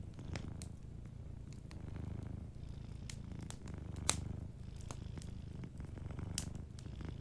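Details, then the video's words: Slumbering cat purrs in a low, rolling rumble while the fireplace crackles steadily around it, one sharp pop standing out midway. "Warm Fireplace Ambience with a Sleeping Cat 🐱💤Fireplace & Soft Purring"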